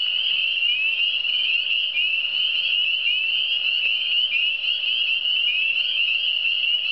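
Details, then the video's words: Frogs of the Eastern Townships form a dense, unbroken chorus of high, shimmering trills, many voices overlapping into one steady ringing band, with a faint constant low hum underneath. "Le son des grenouilles"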